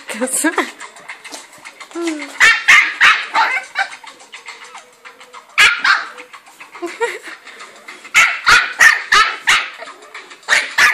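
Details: Angry West Highland White Terrier giving bursts of rapid, rasping barks separated by short pauses, alongside a person speaking and some background sound.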